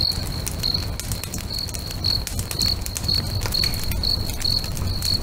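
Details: By a lake at sunset, crickets give clean high chirps about two per second, slightly uneven in spacing, mixed with loud crackling from a bonfire and a low rumbling backdrop.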